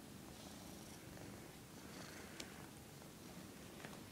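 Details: Domestic cat said to dislike being filmed, purring softly: a low, steady, quiet rumble throughout with a couple of faint clicks, no other clear sounds.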